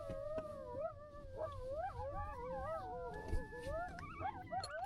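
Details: Coyotes at night in the desert near someone camping in a truck with a dog, possibly drawn by the smell of food: several overlapping wavering howls and yips climbing and sliding around each other, with low rumbling background noise.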